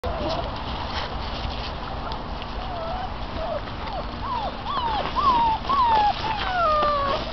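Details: Six-week-old American Bandog Mastiff puppies in a prey drive and holding power test, tugging a chicken tied to a string weighted by a water bottle; high, wavering whines rise and fall, bunching in the last three seconds over steady background noise.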